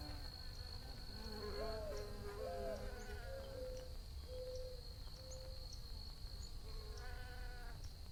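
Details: Buzzing bees with a wavering mid-low drone that swells and dips, some sliding tonal hums from passing insects, a constant thin high whine and faint ticking sounds behind.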